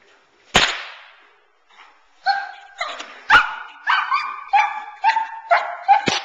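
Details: A 9-month-old Boerboel bitch named Teal barks in protection training, worked off the sleeve to build intensity and focus on the man. Sharp whip cracks open and close the sequence, and a run of rapid, ringing harmonic barks starts midway.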